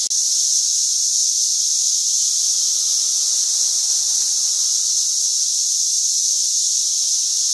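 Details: Dense cicada swarm, St. Louis, 2011: an even, piercing high-pitched buzz sustained without pause for the whole stretch, steady and loud, with only faint low background murmur.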